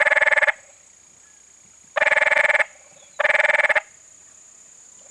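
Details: Male canyon treefrog calling along Cave Creek in Spur Cross Ranch Conservation Area: three loud, rattling pulsed bursts about half a second long, spaced one to two seconds apart, over a steady high whine.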